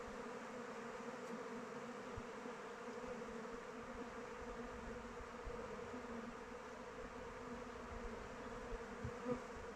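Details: Honey bees flying around the hive in open weather produce a soft, steady humming swarm sound, slightly quieter here, with a few louder passing bees and small knocks toward the end.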